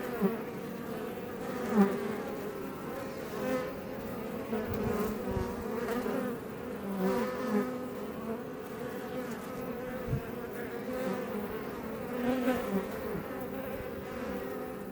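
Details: Iberian honey bees flying outside a Langstroth hive near Els Ports National Park, south Tarragona, Spain; thick droning buzz of many bees, with short louder swells and soft knocks scattered through.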